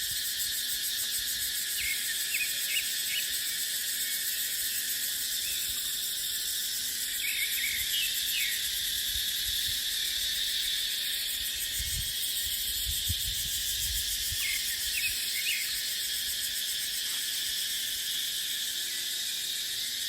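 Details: Cicadas in dry dipterocarp forest during the dry season: a steady, dense, high-pitched buzzing drone fills the whole recording without pause, with scattered short bird chirps and a soft wind hiss underneath.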